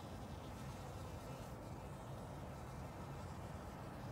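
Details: Honey bees drinking water in spring, a steady droning buzz holding on without a break, with a dense low hum filling the whole stretch.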